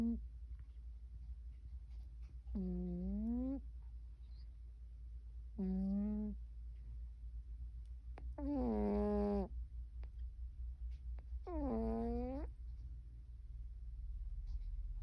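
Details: A Cornish Rex cat snores, each breath a nasal, whining tone returning about every three seconds.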